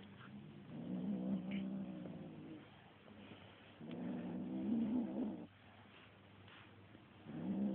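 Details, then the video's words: Kitten growling while attacking a feather toy: low, rough harmonic growls about a second and a half long, swelling and fading, separated by quieter pauses, with a brief sharper cry between growls. "kitten growling at feather toy"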